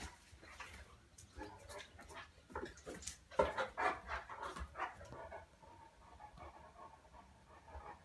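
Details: Cane Corso panting and huffing: rapid, breathy bursts, loudest in the middle, fading to quieter steady breathing toward the end.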